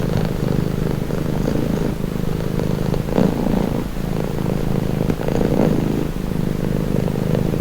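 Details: Low throaty rumble of a purring cat, meant for relaxation, alternating between inhaled and exhaled phases every second or two, brief louder swells around three and five and a half seconds.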